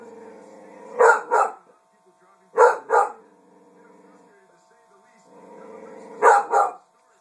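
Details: Dixie, a pet dog, barking at her own reflection in a mirror: sharp, full barks in quick double bursts, three pairs spread over seven seconds with quiet gaps between them, and a faint steady hum underneath.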